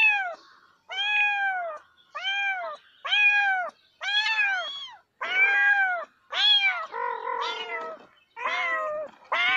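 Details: Repeated meowing from a domestic cat: about nine arched, clear meows in quick succession, each rising and falling, the later ones rougher and more wavering as overlapping calls blend together.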